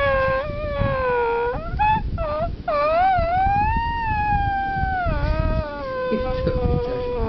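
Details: French Bulldog named Romeo howling in one long, wavering tone that dips, rises and swells, briefly breaking into short yelps before settling into a steady, slowly falling drawn-out note.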